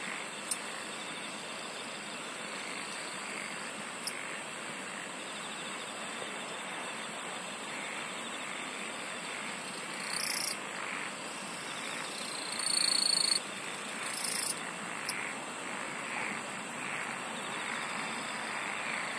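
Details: Insects singing together in a steady shrill drone, with rhythmic soft pulses underneath and occasional bursts of fast, high trilling ticks that swell briefly and fade.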